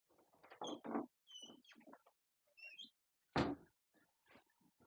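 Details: English Cocker Spaniel puppies, three weeks old, at their first meal of solid food indoors: short high-pitched squeaks scattered between messy slurping and chewing, with one loud knock partway through.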